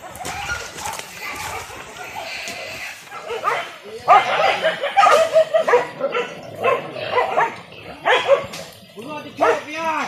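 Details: Village dogs on a traditional wild boar hunt with dogs and spears in Indonesia: after a stretch of voices and noise, loud yelping barks come in irregular bursts through the second half, with men talking over them.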